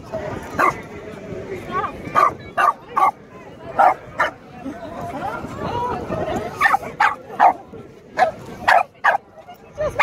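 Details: Dog barking at a donkey: sharp barks in bursts, some paired, scattered through the recording, with a person talking and other background noise between them.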